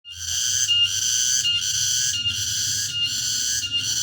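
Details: Cicada (tonggeret) singing in the late afternoon in a remote rural area: a loud, steady, high buzzing drone with brief dips in volume roughly every 0.75 seconds, plus low background rumble.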